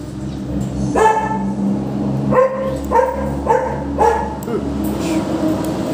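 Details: Labrador-Pomeranian mix dog barking repeatedly, a series of five short mid-pitched barks roughly every half second, over a constant low droning hum.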